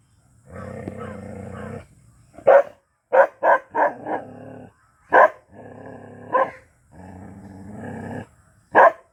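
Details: A black Bhotiya dog barking madly alternates deep, rumbling growls with sharp, loud barks in quick bursts.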